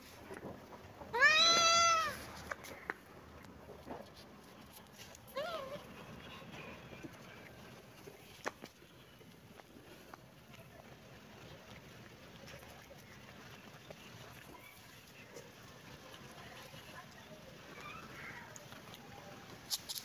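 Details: Kitten and cat at play in a happy mood: one loud arched meow early on, a fainter short mew a few seconds later, then long stretches of quiet background hiss.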